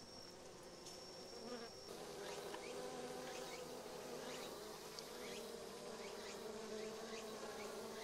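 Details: Japanese honey bees swarming a Japanese hornet to cook it inside a bee ball; continuous busy buzzing drone with overlapping wingbeat tones and scattered short higher zips, no voices.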